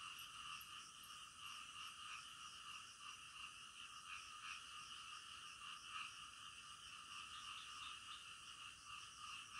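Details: Frogs croaking together at night, a continuous chorus with slightly louder pulses standing out every second or two against the steady background of many calling frogs.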